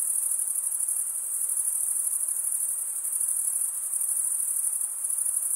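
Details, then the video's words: Stridulating male crickets produce a dense, continuous piercing trill that never breaks, pulsing slightly in loudness, over a quiet background hiss. "Most relaxing cricket sound"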